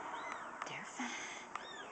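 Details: Newborn kittens on their day of birth, born May 18th: thin, high arching mews rise and fall several times in quick succession, with soft whispered human voices underneath.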